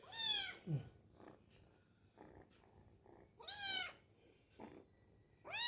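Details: Hungry kitten while eating, meowing repeatedly: three strong rising-then-falling meows about every two and a half seconds, with soft chewing noises and short quieter sounds between them.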